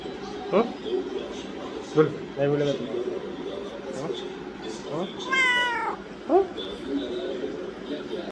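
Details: Pet cat meowing indoors amid Hindi speech; several short meows, then a long wavering harmonic-rich meow around the fifth second and a brief final mew, with people talking throughout.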